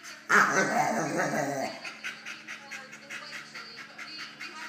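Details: At 10.5 months, Prince the dog confronts an intruder in his kennel with one drawn-out, rough, growly bark lasting over a second, then steady background hum and faint rhythmic pulses.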